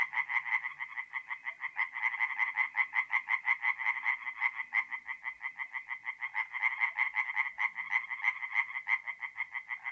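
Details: Tree frogs singing at night in a north-east Italian forest pond in mid-April; a loud, steady series of fast nasal croaks, nearly three per second, several callers overlapping in a continuous pulsing chorus.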